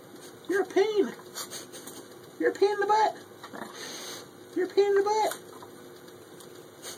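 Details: Spoiled Shih Tzu puppy Katy pestering her owner indoors while he tries to work at the computer; three bursts of high, arching yips and whiny grumbles about two seconds apart, with a man's voice talking between them.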